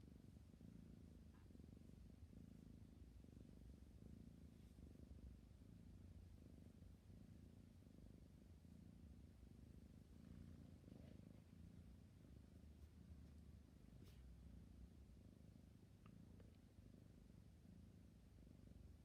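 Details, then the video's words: A sleepy kitten purring steadily, a low continuous rumble in long even cycles with faint soft clicks and rustles indoors. "My cute sleepy kitten purring and yawning"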